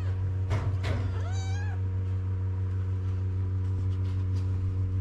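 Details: Stray kitten in Morocco crying for its mother to come and nurse: one loud, wavering, high meow lasting about a second, preceded by soft short cries, over a steady low mechanical hum.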